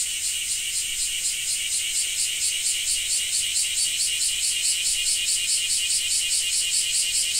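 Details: Cicadas calling in Japan, a shrill metallic buzz throbbing in fast regular pulses, about two or three per second, unbroken from start to finish.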